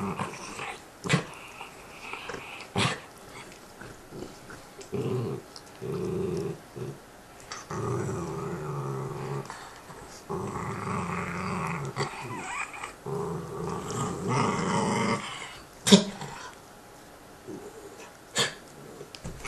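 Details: A pair of dogs with bones, growling at each other: quieter, intermittent low growls mixed with sharp clicks and knocks from chewing and handling, and a louder growl near the end.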